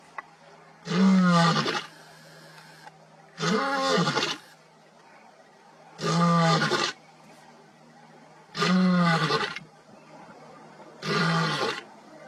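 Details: Lion giving a series of five deep, moaning roars, each about one second long and repeated every two to three seconds at an even rhythm, over a faint constant low hum.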